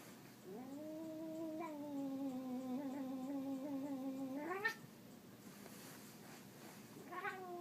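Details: House cat producing a steady, drawn-out moaning yowl of about four seconds that ends in a sharp upward squeal, followed by a short rising cry.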